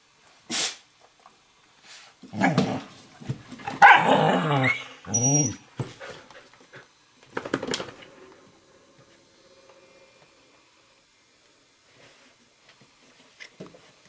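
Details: Two dogs play wrestling on a kitchen floor: Firenza, an 11-week-old Eurohound puppy, and Brio, a 4.5-year-old Nova Scotia Duck Tolling Retriever. Fierce-sounding bursts of growling and barking in a cluster mid-clip, then quieter scuffling in a small room.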